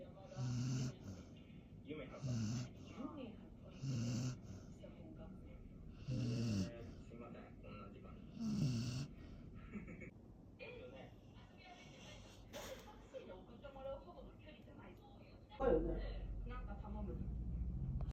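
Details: A deeply sleeping Labrador Retriever gives low snores in evenly spaced bursts about every two seconds, each with a soft hiss, then quieter breathing and a sudden low thump near the end.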